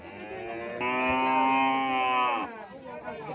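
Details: Cattle at Keppo livestock market in Pamekasan, Indonesia: one sustained, droning moo lasting under two seconds with a steady, strongly harmonic tone, over a background of market noise.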